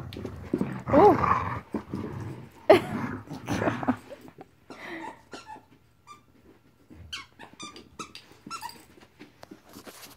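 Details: Marvel, a 14-week-old puppy, at play: a few seconds of rough, throaty growling with a short whining rise, then quieter scuffling, clicks and light thumps.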